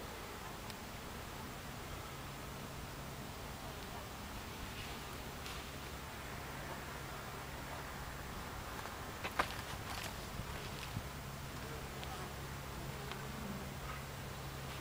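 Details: Buckfast honey bees inside an alternative beehive, recorded July 29, 2013: a low, steady droning hum runs throughout, with faint higher buzzing and a few scattered soft clicks and taps.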